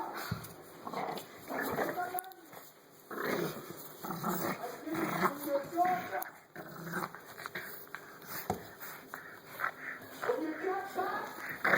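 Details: Playing English Bulldog puppy, six weeks old and dark chocolate tri in colour, letting out throaty growls mixed with high whiny squeaks in short irregular bursts, while people speak nearby and a steady electrical hum runs underneath.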